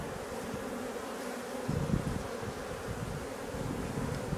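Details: Honey bees from a drone-laying colony being replaced, a dense steady low hum of many wings with a rougher, louder swell partway through and no voices over it.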